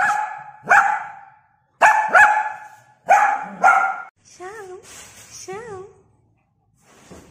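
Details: A 5-month-old Shih Tzu puppy gives sharp, high barks in quick pairs, followed by a person's voice.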